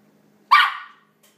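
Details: A single sharp, high bark from a 4-month-old Yorkshire Terrier puppy, barking excitedly at other dogs barking on a computer; one short burst about half a second long, then quiet with a faint hum.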